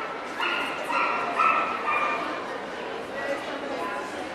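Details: Welsh Corgi, Cardigan and Pembroke, at the NVP Ostrava dog show on 14 April 2012: a quick run of high, tonal whining yips in the first two seconds, then fading, over steady crowd chatter in a hall.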